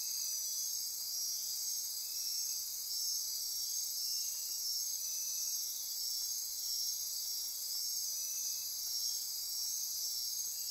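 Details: Insects calling after dark in Osa Peninsula rainforest, Costa Rica, near Corcovado National Park: a thick, steady wall of high-pitched trills and buzzes, with soft periodic pulses layered underneath.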